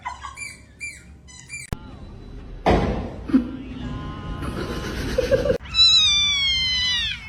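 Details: Domestic cat in a funny-cat compilation giving a drawn-out meow near the end, with clear stacked harmonics that slide downward, after several abrupt cuts with background music and household noise.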